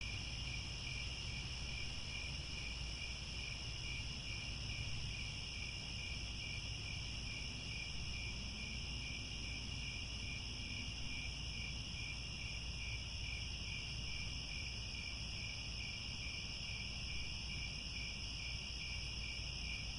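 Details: Crickets chirping at sunset in grasslands near Angkor Wat, Cambodia: a dense, steady chorus of several high continuous trilling bands, the lowest pulsing rapidly and evenly throughout, over a low constant rumble.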